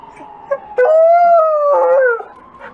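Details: A Wolamute among wolfdogs howls after an ambulance siren sets them off. One clear, steady howl lasts about a second and a half, level then dipping slightly, with brief yips before and after and a quiet background.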